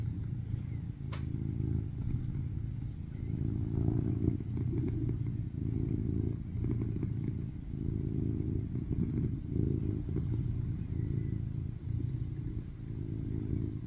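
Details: A rescued male tuxedo cat born in 2019, filmed in August 2023, purrs loudly on a lap while kneading: a deep continuous rumble that swells and eases with each breath.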